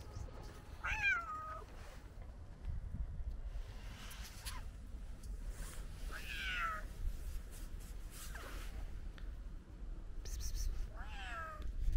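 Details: Old tabby cat crying outdoors on a snowy day because he is very hungry: about five falling, whining meows spaced two to three seconds apart over a steady low rumbling background.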